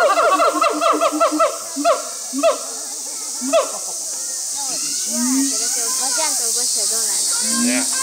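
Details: Siamangs Brave and Heart, caged at Chiba Zoological Park, Japan, on 2 August 2020. A fast series of looping whoops for three seconds fades to scattered softer notes beneath a loud, continuous insect buzz.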